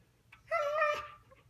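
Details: Siberian Husky 'talking' indoors while a woman scolds it for damaging a couch; a short, nasal, whine-like vocal of about half a second, preceded by a soft breathy sound, over a low room hum.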